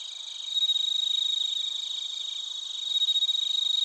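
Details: Crickets, bell crickets and field crickets, singing in Narita, Chiba, Japan, recorded with a TASCAM Portacapture X8: one close, loud, bright pulsed chirp train stands out over a steady high insect trill, strongest near the start and end.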